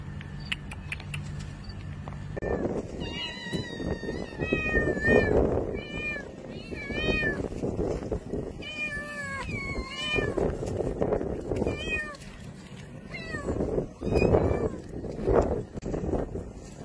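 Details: Stray cats in the early morning in the Saudi desert meowing repeatedly, a run of clear harmonic meows with rising and falling pitch, some short and some drawn out, over steady low engine hum and scuffling noise.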